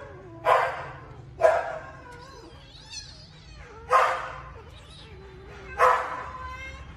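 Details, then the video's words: Two rescued baby kittens quarrel over food, trading four short, harsh spitting growls spaced about one to two seconds apart, with faint low background hum between bursts. "2 baby kittens fighting with each other to find a winner for food!"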